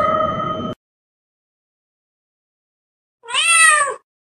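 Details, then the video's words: Cat sound for frightening rats: the steady tail of one meow, then after a long silence a short, high, slightly wavering meow rising and falling within under a second. "Sound of Cats to scare the Rats"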